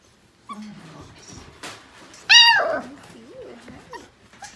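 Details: Five-week-old Portuguese Water Dog puppies from one litter playing indoors in the morning: soft rising whines, then a loud, sharp harmonic yelp that falls into wavering whimpers, with scuffling between.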